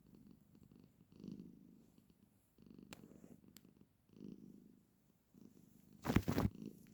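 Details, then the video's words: Female pet cat purring while sitting with her owner indoors: soft, low, rumbling purr in pulsing bursts with short pauses between breaths, ending in a sudden loud rustling or handling noise near the close. "My cat always makes this sound whenever she sits with me"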